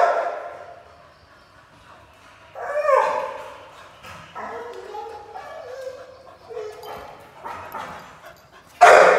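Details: Pit Bull puppy at play, giving a run of high, tonal yelps and whines that rise and fall, some drawn out and wavering, ending in a sudden loud burst of noise.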